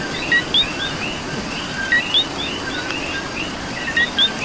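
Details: Coqui frog in Puerto Rico calling during rain: a crisp two-note co-qui, a short low note then a higher rising whistle, repeated about every two seconds over a softer chorus of distant coquis and a steady hiss of rainfall.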